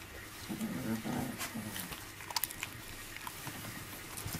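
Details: Five-week-old miniature labradoodle puppies play with their mother, giving low, whiny growling sounds during the first two seconds, followed by quieter scuffling, clicks and soft thumps of play.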